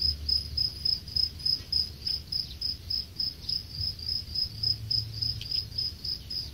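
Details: Farmed crickets at a cricket farm in Khon Kaen, Thailand, about ten days before harvest: a high, steady pulsed chirping, roughly three to four chirps per second, with a low rumbling hum underneath.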